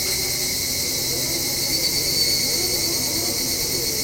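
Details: Evening cicada calling in the evening, recorded from a home balcony as autumn approaches: a steady, dense, high-pitched shrill hum with no clear breaks, and a faint low rumble underneath.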